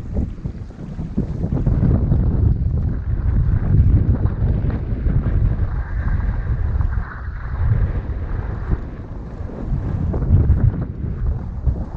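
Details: Heavy wind buffeting the microphone roars throughout, deep and rumbling, with no animal voice heard.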